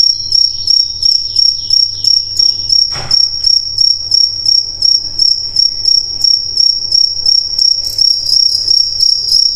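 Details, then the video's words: Night chorus of crickets: continuous high-pitched chirping pulsed roughly three times a second, a brief knock near the middle, faint birds behind. "Crickets - Sound Effects"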